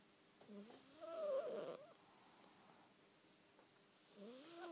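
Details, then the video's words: Betty, a pet cat, sleeping and making unusual noises: squeaky, wavering tonal sounds that rise and fall, with a louder warbling stretch near the middle and another soft rising squeak at the end, quiet in between. "Silly Betty snoring"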